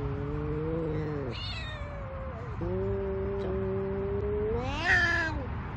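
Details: Large Savannah cats responding to kittens: two long, level, low moaning calls, then a short, sharper meow that rises at the end, over a faint steady hum.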